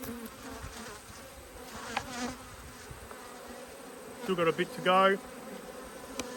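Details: Two honey bee hives, upset by an inspection in March 2022, hum steadily until a couple of bees swoop near, giving short wobbling buzzes that bend up and down in pitch, then the drone settles again.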